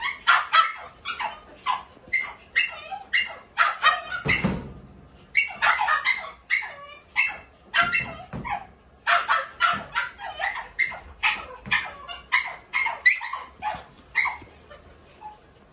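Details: Toy Poodle giving continuous shrill yaps, quick repeated barks in clusters with brief gaps, one dull thump partway through.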